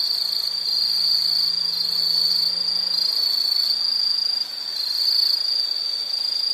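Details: Piercing, steady insect buzzing sits on a single high pitch throughout. A faint low droning tone is audible underneath during the first three seconds.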